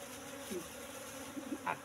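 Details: Apis cerana honey bees humming softly around their hive box while honey is harvested, a colony brought from the forest about three months before; a brief, even, low drone with small clicks.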